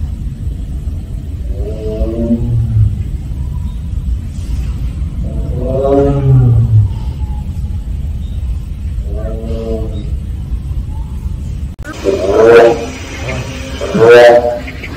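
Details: Siberian tiger at Seoul Grand Park making 'aung' calls. Three deep, moaning calls come about four seconds apart. After a cut, two louder, harsher calls follow. A low rumble runs throughout.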